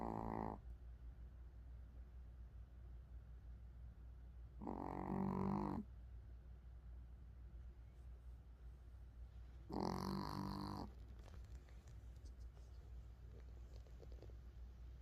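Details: Snoring Pomeranian during sleep, three raspy, rumbling snores spaced about five seconds apart, each lasting roughly a second, with faint breathing and low room hum between them.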